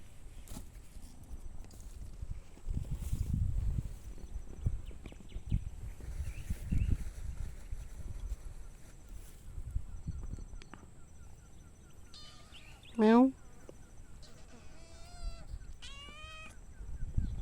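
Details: Two cats and two tiny kittens playing outdoors; one loud, drawn-out meow sweeps steeply downward, followed by a few shorter, higher mews, over low rustling and footstep-like thuds.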